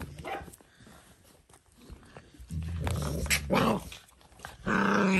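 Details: Dalmatian puppies playing indoors in a small room, with low rumbling growls in the middle and a higher whine near the end, rough-and-tumble scuffling between them, and a person's voice faint in the background.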